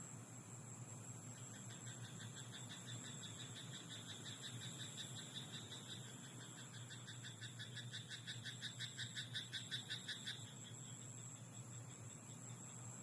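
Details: Night chorus from a rice paddy with a croaking frog: quiet, buzzy pulsed croaks at first, then a louder, tightly repeated rattling burst of about three seconds near the end, against a constant shrill background hum.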